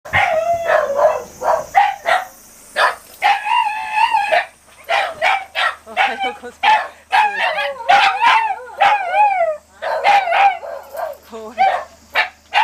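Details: Shiba Inu giving rapid, high-pitched yelping cries and whiny wavering howls in quick bursts, some with bent, warbling tones, nearly continuous for the whole stretch with only brief pauses.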